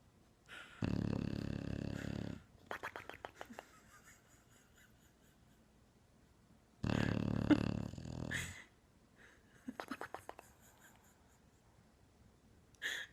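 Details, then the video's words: Bulldog snoring loudly: two long, deep, rumbling rasping snores several seconds apart, each followed by a string of short fluttering snorts as the breath goes out. "Bulldog Funny Snoring"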